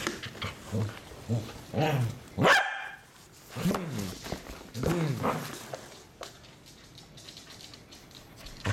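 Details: A Pembroke Welsh Corgi, scared of a cardboard box, gives a few sharp, uneasy barks and yips, spaced irregularly.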